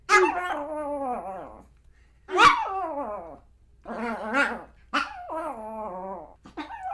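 A Pomeranian gives high, drawn-out yapping barks that slide downward, in bursts a second or two apart.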